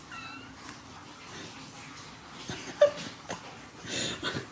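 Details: Curious Oriental Shorthair cat named Thomas indoors gives a short, clear meow with a rising then falling tone at the start, followed by a woman speaking Russian and faint room noises.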